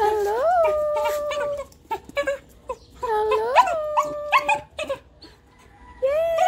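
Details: Puppy from a home with three dogs, a Golden Retriever puppy and a Shih Tzu puppy among them, gives high tonal whines that rise, then hold steady, in three drawn-out bouts separated by short sniffs and soft clicks.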